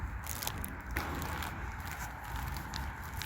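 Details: Crackling, crunching and scuffing noises with faint footsteps over a low background rumble, with no clear animal voice.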